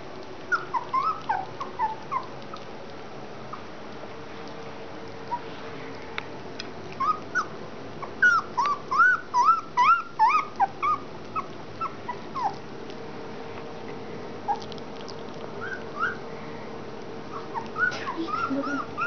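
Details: E-litter collie puppies on 30 January 2013, at their first real food: high whining yips and whimpers. Early calls are sparse, then a dense rapid run comes mid-clip, followed by quieter scattered squeaks over a faint hum.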